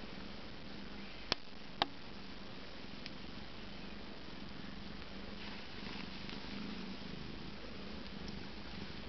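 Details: Siamese kittens eight days old relaxing indoors with bellies full of milk, their mother tending them; a soft, steady low purring rumble runs throughout, with two sharp clicks early on.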